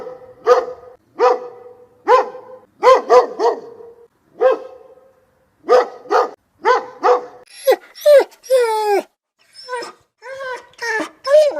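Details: Dog barking in quick ringing runs, then switching to high, sliding yelps and whines toward the end before more short barks.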